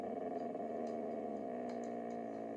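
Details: Indoor Siberian Husky protesting being told off a chair, giving a long, even, droning grumble-howl throughout, with faint clicks and a woman speaking nearby.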